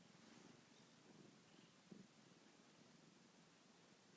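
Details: A fat domestic cat, too lazy to wake up, purring softly indoors: a low, steady rumbling purr of fine rapid pulses runs throughout, with a brief soft rustle just before the two-second mark.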